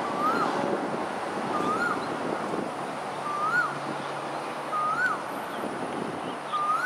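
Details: A lone otter calls at dusk, 6:54 pm, on Pandan River in Singapore, 28 December 2021: clear arched whistles repeat every second or so, five in all, above constant wind-like rushing noise.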